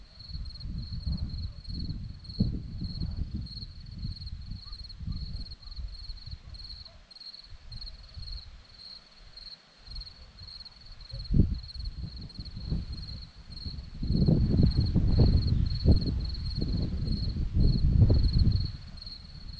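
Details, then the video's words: On a Romanian hillside at Zorlesti, crickets keep up a high, even chirping in quick pulsed bursts, while low gusty rumbles come and go and swell loudly in the second half. "Crickets sound"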